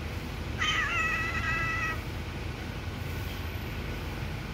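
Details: Little kitten, sitting, gives one clear meow about a second and a half long, a bright harmonic cry that starts with a sharp rise and then holds steady before stopping, over a low background hum.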